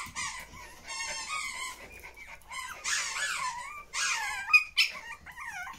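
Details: Pomeranian puppies with their mother Yee Yee in the puppy room. Loud, piercing whines and squeals come in rapid wavering bursts, several per second, some sliding up and down in pitch, with brief pauses between.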